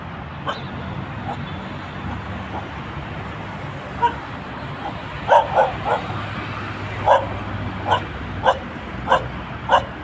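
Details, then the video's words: A dog barks repeatedly in loud, sharp, evenly spaced single barks, roughly one every half second to a second, growing more regular toward the end against a constant hiss of background noise. "Terrifying dog barking"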